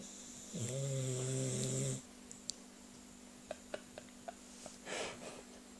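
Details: A sleeping dog snores with a human-like sound: one drawn-out, low, droning snore lasting over a second, then quiet with a few faint clicks and a soft breathy rustle near the end.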